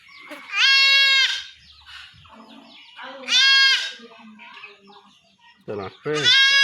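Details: Young goat kid in a Bangladeshi village being castrated at home by traditional means, giving loud harmonic bleats around 0.6–1.4 s, 3.3–4 s and again near 6 s, with men talking in between.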